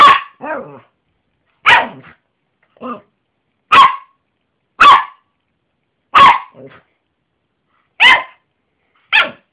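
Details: Jessy the Yorkshire terrier barks steadily, one loud sharp bark roughly every second, several trailing into short growly or whiny tails, indoors with no other sounds.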